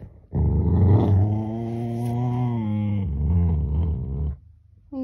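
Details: A Rottweiler being stopped from biting its owner's hand and told to chew its toy instead gives a deep, rumbling aggressive growl that holds steady for about four seconds.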